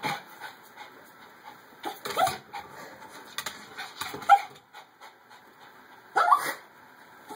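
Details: Small pet dog named Jake, confused and curious on meeting a new robo hamster that slides instead of turning its ball; three brief, high whining yips come at roughly two-second gaps over a quiet room background.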